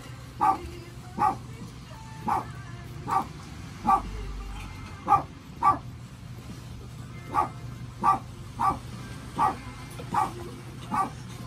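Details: Newborn Chihuahua puppies; thin, short squeaks repeat roughly once a second at an uneven pace over a steady low hum.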